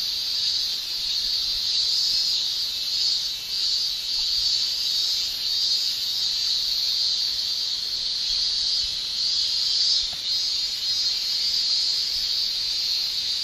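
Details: Japanese cicadas in summer, the males shrilling by buckling their tymbals; a steady, intense high-pitched hiss with soft rhythmic surges in strength and brief dips.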